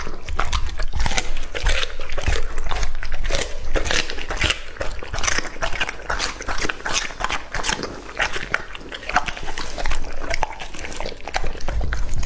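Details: A two-and-a-half-year-old English-type Labrador Retriever named Lucky eats raw meat indoors, with dense, irregular wet chewing and crunching, about two and a half bites a second, loud and close throughout.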